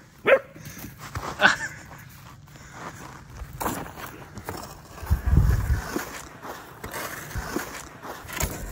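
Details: Female German Shepherd puppy barking while scared of a fake deer; two sharp, separate barks in the first second and a half, followed by footsteps and rustling outdoors.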